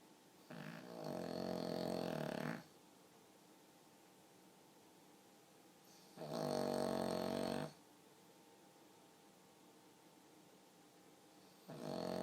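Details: Sleeping pug snoring indoors like a human: three loud, rasping snores of about two seconds each, separated by quiet pauses of roughly four seconds.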